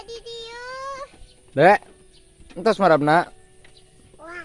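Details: Ewe with her lamb calling: a thin rising tone first, then a loud, quavering bleat, a pause, a longer double bleat with shaky pitch, and a softer cry at the end.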